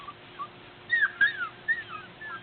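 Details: A litter of Border Collie puppies out exploring in April, learning to climb stairs. They give high, thin whimpering whines that glide up and down, several within two seconds, against a steady background hum.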